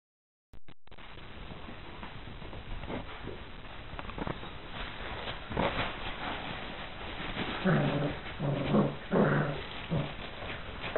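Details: Four Irish Water Spaniel puppies playing with a Bichon Frise companion, producing low rough growls and a few short whiny yelps near the end, over constant rumbling and scuffling noise.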